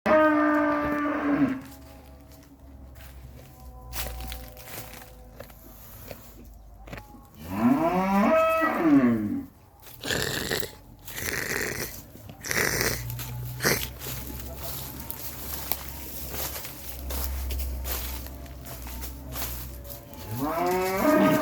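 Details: Camel giving deep, harmonic, moaning bellows in three bouts: at the start, around the eighth second, and again at the end. Each bout bends up and down in pitch. Crunching, rustling and clattering noises fill the gaps between calls.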